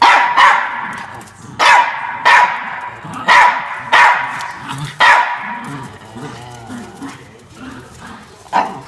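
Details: Defending his bean bag chair, Norfolk Terrier Ernie fires off loud, snappy barks roughly every second, tapering into softer rustling and low sounds before one last bark at the end.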